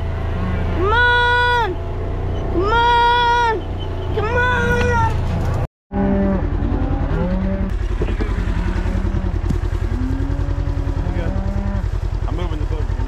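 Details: Cows being moved home on July 4th give two strong, tonal moos followed by a weaker one, then quieter overlapping lowing from the herd over a constant motor drone.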